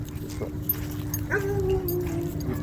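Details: Cane Corso reacting to new dogs at a dog park gives a single drawn-out, slightly wavering whine lasting about a second, over a steady low hum and outdoor background noise.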